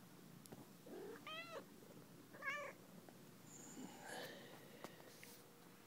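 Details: Molly, a pet cat, meowing indoors in a condo, two wavering chirpy meows close together followed by fainter sounds, with background room noise and soft clicks.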